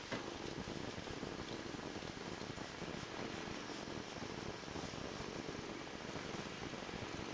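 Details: Morpheus, a pet cat, purring: a soft, continuous low rumble of fast pulses held steadily for the whole stretch, set against a constant even hiss.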